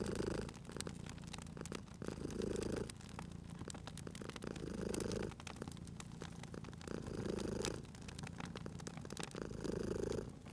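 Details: Sleeping cat purring beside a crackling fireplace in a cozy spring setting; a low, steady rumbling purr swells and fades in slow breath cycles about every two and a half seconds, with sharp pops and snaps of burning wood throughout.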